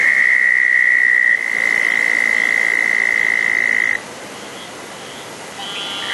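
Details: A southern toad calling at a small pond on a wet night after a thunderstorm, June 10, 2014. It gives a high, even trill for about four seconds, then stops, leaving quieter night background and a faint higher call near the end.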